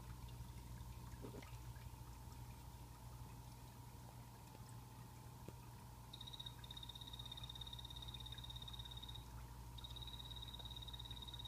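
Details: Blue-bellied poison frogs kept as pets in a planted glass vivarium; after six seconds of hum a high, even buzzing trill starts, pauses briefly, then resumes, over steady low-pitched background hum.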